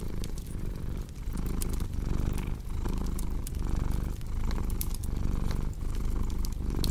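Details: Domestic cat purring steadily in a low, rumbling drone, pulsing with each breath roughly every three-quarters of a second, over the sharp pops and snaps of a crackling fireplace.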